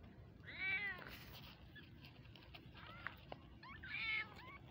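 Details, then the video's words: Loud high-pitched kitten meows, arched rising-then-falling cries at the start and end, with softer mews and a sharp click in between, background quiet. "Mini cute kittens baby meowing"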